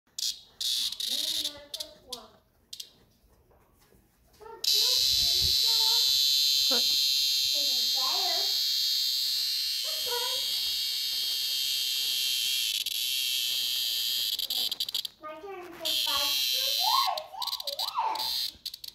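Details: A screaming locust cicada, found and held close, gives a steady, loud, high-pitched shrill lasting about ten seconds, with people talking before and after it.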